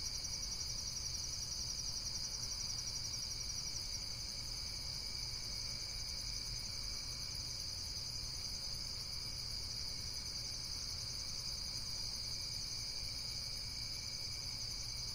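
Insects trill steadily in a dense, high-pitched chorus with a low rumble beneath.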